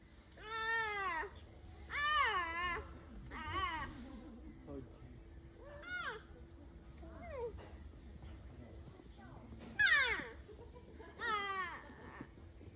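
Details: Two-and-a-half-month-old giant panda cubs making noises: a series of high, wavering, bleating squeals with rich harmonics, each about half a second long, repeated roughly every one to two seconds, over a faint steady hum.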